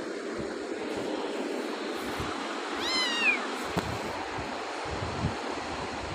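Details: Very cute pet cat with beautiful eyes utters one drawn-out meow, rising then sliding down with rich harmonics, amid steady room hum and a few soft clicks.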